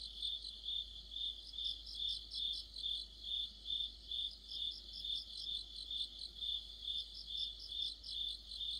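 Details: Autumn insect orchestra led by crickets, their bright chirps pulsing evenly roughly every half second while several higher insect voices overlap in shifting bursts; quiet background rumble.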